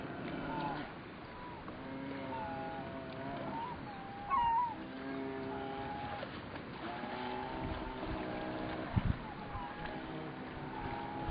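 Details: A brown bear cub whines in long, droning, nasal tones, begging for its share of the day's catch of food.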